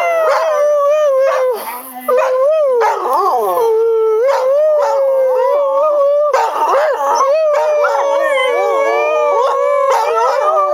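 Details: Two pet dogs, Jemma and Bubby, howl along while their owner sings "Crying Time"; long wavering tones held and sliding up and down, voices overlapping in a continuous chorus, with a brief dip near two seconds.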